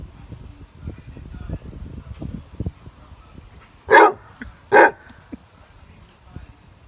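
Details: Max, a huge Basset Hound nicknamed Moose and the grumpy alpha of a three-dog household, gives two loud, deep barks a little under a second apart after a stretch of low background rumble and quiet indoor noise.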